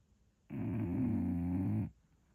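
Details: An English Bulldog sleeping and snoring, giving one low, droning, growly breath that lasts about one and a half seconds before a quiet pause.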